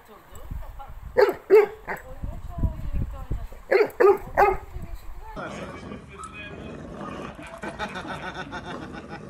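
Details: Playing dogs, a Cane Corso and a Pitbull Terrier called Nero and Rio: two bursts of three rapid barks near the start, then a jumble of scuffling and rattling noise.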